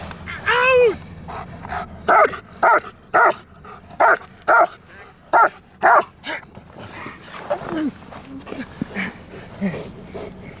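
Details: German Shepherd from Kraftwerk K9 barking during obedience and protection training: a high yelp, then a run of seven sharp, evenly spaced barks roughly every half second, followed by quieter sounds and a handler's voice.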